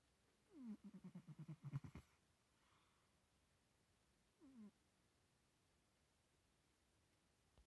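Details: Domestic cat snoring: a run of about eight quick pulsed snores with falling pitch over roughly a second and a half, then silence and one more short snorting breath a few seconds later, in a quiet room.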